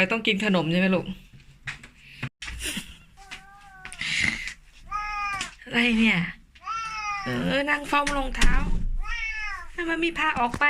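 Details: Tiki, a 14-year-old Korat cat born in Thailand and now living in England, meows indoors near noon on a cold, sunny day, asking to go outside for the third time. Rising-falling harmonic meows repeat between a woman's chatter.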